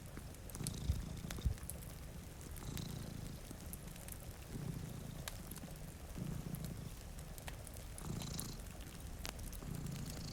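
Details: One of two cats asleep by a rainy window gives a deep purr rising and falling in regular phrases roughly every one and a half seconds; scattered fire crackles, a couple of thumps and rain noise.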